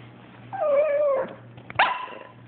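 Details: Abbie, a female Chihuahua, complains that her Yorkie "brother" Sebastian took her toy away: a drawn-out, wavering nasal whine, then a short, sharper rising yelp after a brief pause, indoors, with a low steady hum underneath.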